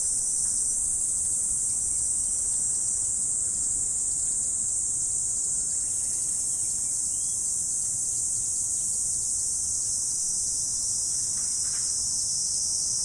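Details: A morning insect chorus, linked to autumn, shrills in a dense, unbroken, high-pitched stream, with a few faint bird chirps beneath.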